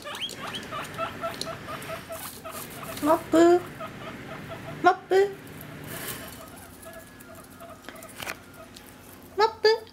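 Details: A guinea pig, teased by being kept waiting, snorts heavily close to the microphone and gives repeated short squeaks, begging for food.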